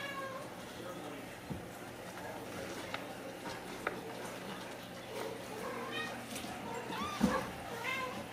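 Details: Several Ragdoll kittens at a home cattery in central Kansas, kept without cages, let out thin rising-and-falling mews toward the end, over low room hum and a person's quiet speech.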